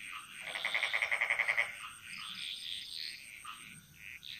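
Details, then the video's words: Frog calling in a Bali jungle: one close, loud call of about ten rapid, evenly spaced pulses lasting just over a second, followed by a softer chorus of other frogs chirping and a thin steady high tone. "Frog Mantras - Relaxing Sounds Of Bali"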